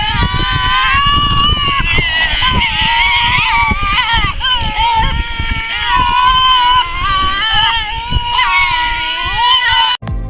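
Tasmanian devil screaming: a loud, harsh, wavering screech held almost without a break.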